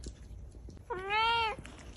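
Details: Angry pet cat indoors producing one bright, arched meow about half a second long, rising then gently falling, clear harmonic tone over quiet room background.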